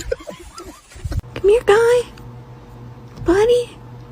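A kitten gives thin, rising meows, each about half a second long, after a moment of human voices.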